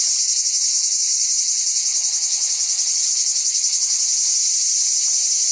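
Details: Cicada calling in a loud, unbroken high-pitched buzz with a slight rapid pulsing texture, about three to four pulses per second, and no other sounds.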